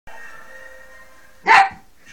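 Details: A poodle playing with a cat lets out one loud, sharp bark over a steady tonal hum, followed by a faint trailing sound.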